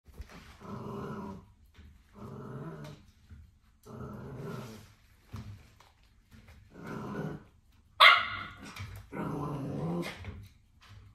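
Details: Corgi puppy growling while biting a bicycle pedal: five low, rough growl bursts, each about a second long, come at roughly 1.5-second intervals. One sharp bark breaks in near the end, and there are faint handling noises.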